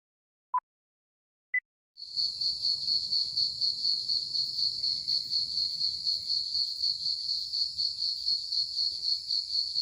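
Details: Crickets in the early evening, a steady high pulsing trill held continuously after two opening tones, with a faint low rumble beneath.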